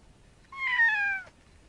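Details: Persian cat, one of several cats hunting a snake, gives a single drawn-out meow lasting under a second, clear and tonal, falling slightly in pitch at the end, against a quiet background.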